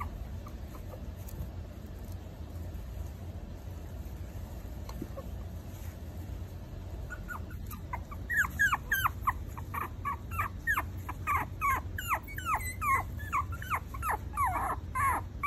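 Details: After several quiet seconds of low hum, four-week-old Maltese puppies break into loud, rapid whimpering, a dense string of high, swooping yelps and whines that continues to the end.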